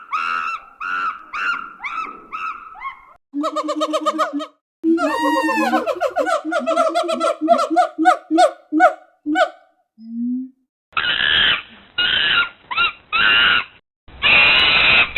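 A monkey gives a run of harsh, harmonic calls, then loud rasping screeches in short bursts.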